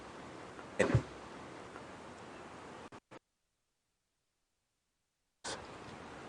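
A single short burst like a sneeze or cough cuts through low background hiss, followed by a stretch of dead silence and a brief click as the sound returns.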